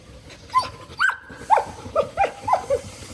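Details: Angry dog letting out a quick run of about seven short, high yelping barks in three seconds, each note sliding downward in pitch, over a steady low background rumble.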